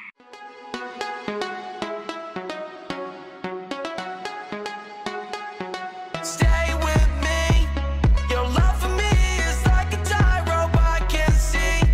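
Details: A bright plucked melody opens the piece, joined after about six seconds by a deep pulsing bass and a steady drum beat. No animal voices can be picked out beneath the music.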